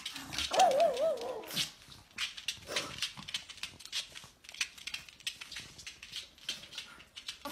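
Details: Indoor pug objecting to its owner's cough with one quivering, wavering bark early on, followed by several seconds of sharp, broadband knocks and rustling.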